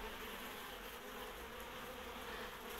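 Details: Honey bee swarm, the third from the same hive and holding four queens, entering its new beehive: a dense, steady buzzing hum of many bees, continuous and even throughout.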